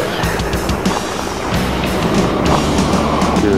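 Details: Music with vehicle noise and some speech; no animal sound is heard.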